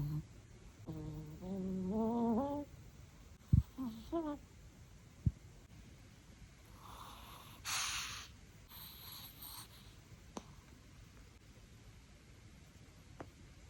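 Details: Romeo, a Chihuahua, snores loudly with whistling, rising nasal tones that sound almost like a little tune.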